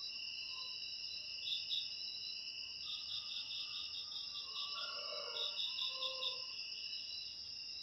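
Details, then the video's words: Cricket sound offered as a natural rat repellent for houses: a continuous shrill high-pitched buzz overlaid with bursts of fast pulsed chirps, and a few soft lower chirps mixed in. "Suara Jangkrik Untuk Mengusir Tikus"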